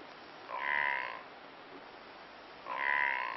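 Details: A blue wildebeest (brindled gnu) in the open areas of Kruger National Park gives two nasal, droning calls, each under a second long, about two seconds apart.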